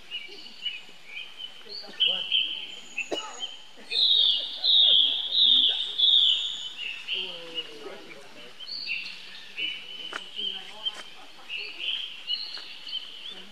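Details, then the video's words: Little monkey calling its older brother for help: shrill, piercing wails rising and falling, some loud drawn-out cries mid-way, interspersed with shorter squeaks and low guttural chatter. "Heard Young Bro Call To Help, Lovely Baby Monkey"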